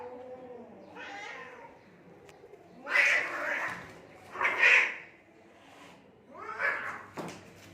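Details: Cats fighting in Assam, India: drawn-out harmonic yowls followed by loud, harsh screeching bursts near three and five seconds, then another rising wail, with quiet pauses between outbursts.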